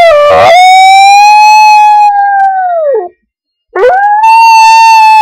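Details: Pet dog Digger howls to bagpipe music, which stays faint: a long, steady, harmonic-rich wail that sags downward at its end, then a brief break before a second howl rises and holds.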